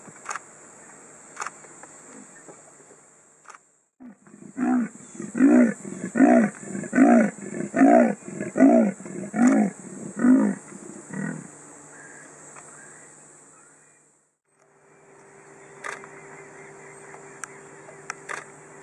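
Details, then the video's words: Male leopard in Kruger National Park, seen from a car around 5.30 pm, calling for a mate while ignoring the vehicle; a series of about a dozen rasping, sawing grunts in steady rhythm, roughly one every half second, with quiet gaps before and after. "Leopard Calling for Mate"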